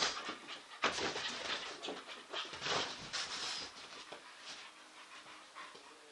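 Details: English Bull Terrier playing chase, its favourite game; quick rhythmic panting with noisy bursts, loudest in the first three seconds, then fading.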